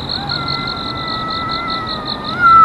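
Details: Cat living in a park, locked in a fight with another that has lasted more than a year, holds one long, steady, nasal yowl that swells louder and lifts in pitch at the end, while insects pulse rhythmically behind.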